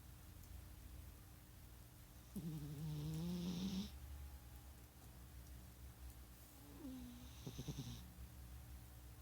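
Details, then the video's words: Sleeping domestic cat snoring: two drawn-out, low, droning breaths, the first about one and a half seconds long with a slight upward slide, the second shorter, roughly four seconds apart, over a steady low hum in a quiet room. "Snoring Coltrane"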